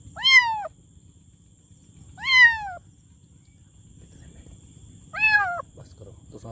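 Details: Loud kitten meowing: three quick, bright meows a couple of seconds apart, each bending up then down, with a steady faint high whine and low background murmur.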